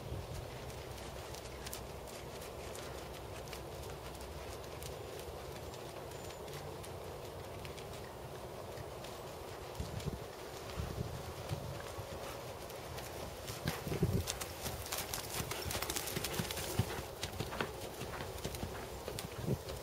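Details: Dressage work by a seven-year-old black Percheron/Thoroughbred gelding standing 16.2 hands; muffled hoof strikes repeat steadily, becoming denser and crisper in the second half, with a constant low hum behind.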